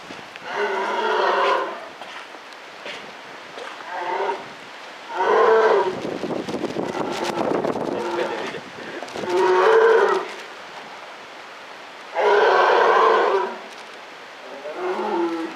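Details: Polar bear in captivity at Maruyama Zoo, recorded October 2013: five drawn-out, nasal, lowing calls at irregular intervals, with a burst of rough broadband rustling noise between the second and third calls.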